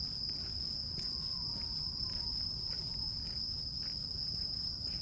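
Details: Grass insects (crickets) sustain a bright, even, high trill without pause, while a low rumble of outdoor noise and a few faint taps sit underneath.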